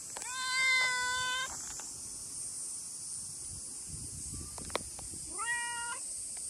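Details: Talkative brown tabby-and-white stray cat welcoming a visitor in the heat with a long, level meow, then a second shorter meow that rises at the start, separated by a pause; constant high hiss behind.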